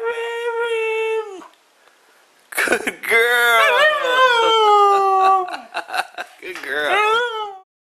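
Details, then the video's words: Mishka, a female talking Husky, indoors saying hello for Valentine's Day: a steady, held howl-like tone, a short pause, then a long wavering, yodelling vocal run with sliding pitch, ending in a brief rising-and-falling whine. "Mishka the Talking Husky"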